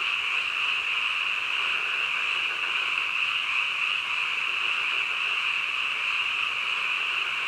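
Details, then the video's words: Frogs at midnight forming a continuous wall of high-pitched trilling, steady in pitch and volume from start to end, with no other animals or background noises standing out. "한밤중 개구리 울음소리"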